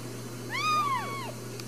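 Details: A single clear mew from a newborn Ragdoll kitten, born in a home cattery in central Kansas: a bright, arching cry that climbs and then slides down, lasting under a second, over a steady low hum.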